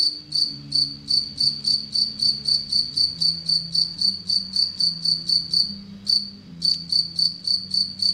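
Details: Anadrymadusa retowskii bush-cricket in captivity, an aggressive tettigoniine shown preying on Anacridium aegyptium; a shrill, evenly spaced pulse train of roughly thirty pulses, briefly broken by a short pause late on, with soft low droning tones beneath.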